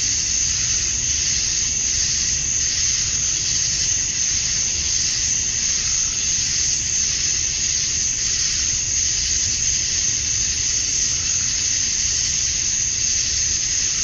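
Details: Male cicadas at summer dusk in Georgia, USA, singing to attract females: a thick, continuous high-pitched drone with gentle pulsing swells in intensity, otherwise unbroken and even.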